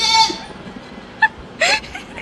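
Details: A newly bought pet goat gives a high, wavering bleat, followed by brief calls and human voices, as a bigger goat bleats back.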